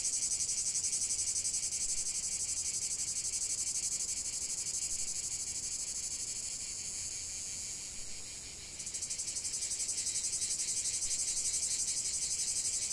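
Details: Massed cicada song: a shrill, metallic high-frequency buzz pulsing evenly. It dips briefly in volume past the middle, then resumes sharply with a more pronounced rhythmic throb.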